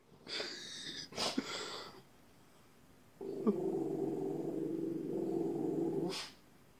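A dog opens with a couple of harsh, noisy barks close together. After a pause comes a sustained, low, droning growl for about three seconds, ending abruptly.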